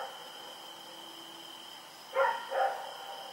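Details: Two quick barks close together from Rex, a dog running around in the night, recorded October 7, 2018, after a stretch of quiet filled only by a constant thin high whine.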